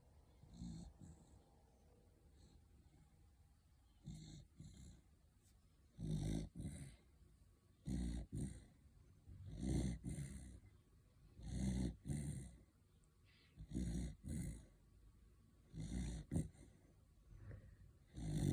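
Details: A tiger corgi snores in deep, rasping rumbles, each breath rattling out about every two seconds.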